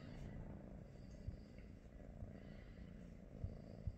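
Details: Pet British Shorthair, one of Pikachu, Teddy and Rosie, purring during a relaxed morning at home; a strong, low, rhythmic rumble runs continuously, with a few soft thumps toward the end.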